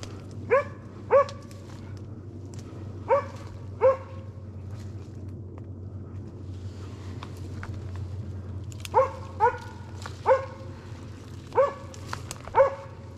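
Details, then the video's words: Arrow, a Slovakian hound, bays at a wild boar held in place during a driven hunt in Sweden, November 2022: about eleven loud, clear barks come in bursts of two or three with quiet gaps, over a low steady rumble. "Slovački kopov - držanje u mesto"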